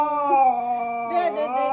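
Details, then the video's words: A female Siberian Husky howling along to a favourite song: a steady, drawn-out tonal howl with rich overtones, holding one pitch, then wavering and dipping slightly near the end. "The singing husky singing her new fave song."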